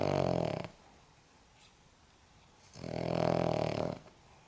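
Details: An old Cavalier King Charles Spaniel, 14.5 years of age, sleeps and snores: a snore trailing off, a soft faint breath between, then another loud, raspy, vibrating snore lasting over a second.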